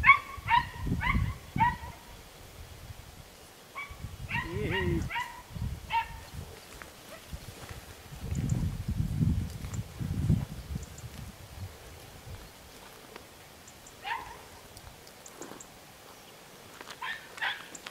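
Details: Yelping Podenco Andaluz dogs from 3 December 2011, with clustered bursts of high barks early on, scattered single yelps later, and low human voices and rustling in between.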